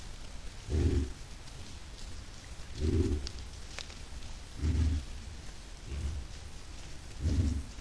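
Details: Group of white-lipped peccaries moving toward a salt lick, recorded 10 July 2022: five deep, low, rough grunts repeat roughly every one and a half to two seconds against a constant hissing, rain-like background.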